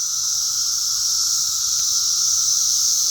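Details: A loud, unbroken chorus of many cicadas swarming in backyard trees, a steady high hissing drone with a fainter lower whine that grows louder as they intensify.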